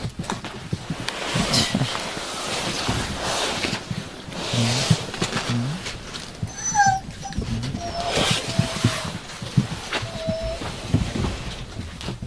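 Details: Yakutian Laika puppies giving short, thin whines and whimpers, a few drawn-out high squeaks clustered in the middle and later part, over steady rustling, shuffling and scratching noise close by.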